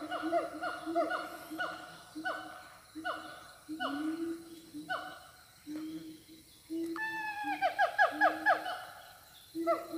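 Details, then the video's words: In Siundol forest, a siamang gives loud, rich hooting notes in a steady series, then a faster run of rising and falling whoops. "suara siamang dari hutan siundol"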